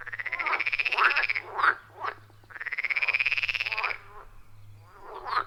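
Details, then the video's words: Wild frogs in a loud chorus around a forest pond, recorded with an iPhone 14 Pro and Shure MV88+: two long pulsed trills of about 1.5 seconds each, rising slightly, with short raspy croaks between them over a steady low hum. "30 Minutes of Frog Sounds at a Forest Pond"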